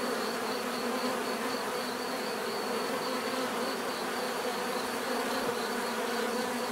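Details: A mass of bees humming without pause, the low buzz steady and evenly loud throughout, accompanied by a faint high tone that throbs in quick regular pulses.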